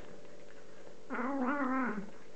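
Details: Hungry domestic cat eating chicken gives one drawn-out, wavering meow lasting about a second, with a low steady indoor hum underneath.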